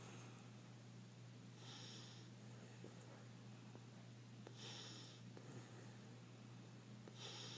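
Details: Sleeping puppy snoring softly: faint breathy hisses recur about every two to three seconds, with occasional tiny clicks, over a steady electrical hum.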